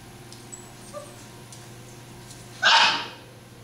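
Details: Chocolate Great Dane puppies from a litter give one short, sharp yip, loud and brief, after faint high squeaks; a steady low electrical hum runs underneath throughout.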